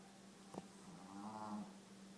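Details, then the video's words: Spice the dog lying asleep and snoring like a human: a single drawn-out low rumbling snore with a steady hum beneath, preceded by a brief sharp tap. "Spice the snoring Dog"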